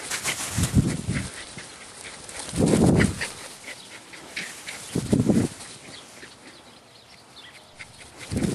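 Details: Sadie, a Rat Terrier dog, playing outside in a yard, gives short low barks in scattered bursts, with quiet gaps and faint outdoor background between them.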